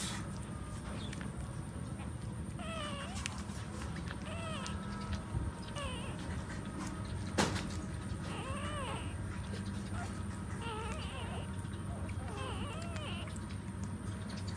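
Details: Nursing puppies beside their standing mother let out repeated arching, meow-like whines, rising then falling, scattered through the clip above a constant low hum, with one sharp knock midway.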